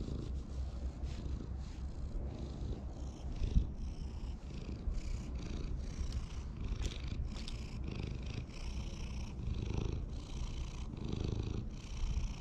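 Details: Park community cats purring as they are petted: continuous deep rumbling purr over twelve seconds, pulsing with each breath, alongside light rustling and touching sounds.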